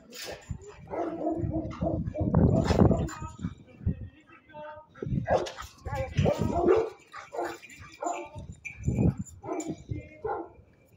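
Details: Rottweiler; guard bark; guarding, warning intruders away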